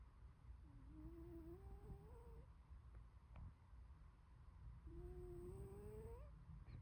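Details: Glory, a short-legged Munchkin cat, snores while sleeping: two long rising whistled breaths, each sliding upward for nearly two seconds, with soft low breathing rumble between them.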